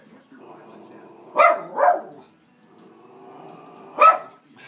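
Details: Pet Schnauzer, female, reacting to animals on a TV screen with sharp barks: a pair of quick barks, a pause filled by low television audio, then a single bark.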